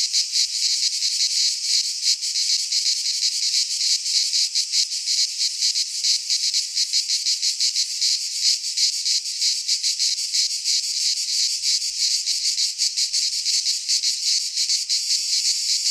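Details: In a Greek pine forest at midsummer, many cicadas produce a piercing, rattling drone with quick irregular pulsing that never pauses. Faint low bumps sound near the end.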